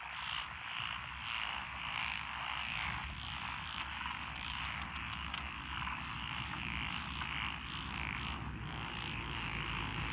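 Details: Frog chorus from lotus rice paddies beside a country road in Echizen City, Fukui Prefecture, Japan, 12 June 2021, with Japanese tree frogs, black-spotted pond frogs, wrinkled frogs, Schlegel's green tree frogs and forest green tree frogs; dense, continuous rattling croaks over a low steady hum.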